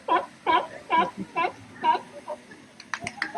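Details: A trained California sea lion gives its barking call during a show at Pleasurewood Hills, Lowestoft, England, in June 2025: a fast, steady series of hoarse, honking calls about twice a second.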